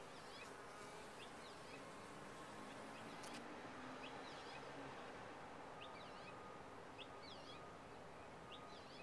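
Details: Bees in a top-bar hive: a dense, steady buzzing hum with no breaks, fading into a wash of noise, while faint high bird chirps sound at intervals over the top.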